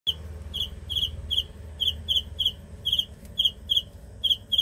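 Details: Cricket chirping in short pulsed bursts, each a tight cluster of shrill high notes, repeated at an uneven pace about two or three times a second over a low steady background rumble.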